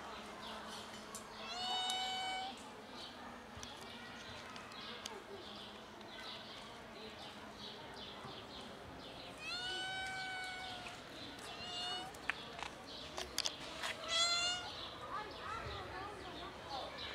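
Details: Three kittens with their black mother cat, playing and then eating, give a few high, bending meows near the start, middle and end, separated by long stretches of soft background noise and occasional sharp clicks.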